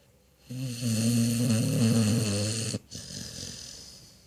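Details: Dog snoring in its sleep; one loud, low, vibrating snore lasting over two seconds with a steady buzzing rattle, followed by a softer fading exhale.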